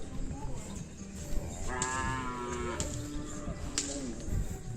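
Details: Cattle at a kerapan sapi bull race on a field in Asemanis: one drawn-out, harmonic moo lasting about a second rises out of steady crowd chatter, voices and general outdoor hubbub.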